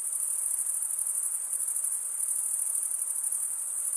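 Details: Stridulating male crickets form an unbroken wall of high, ringing trills, quickly pulsing and even in loudness, with no background noise or other animals.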